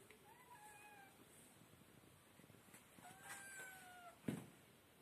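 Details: Kittens mewing: thin high drawn-out cries, one near the start and a longer falling one around three seconds, followed by a sharp knock and steady background hiss.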